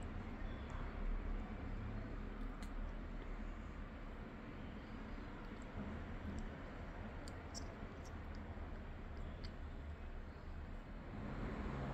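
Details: Quiet, steady low hum of room or traffic noise with faint clicks, and no animal call.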